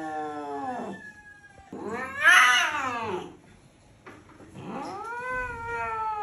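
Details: Angry domestic cat yowling loudly: three drawn-out, harmonic-rich wails, the first falling, the middle one rising then falling and loudest, the last arching up and trailing off, with short quiet gaps between.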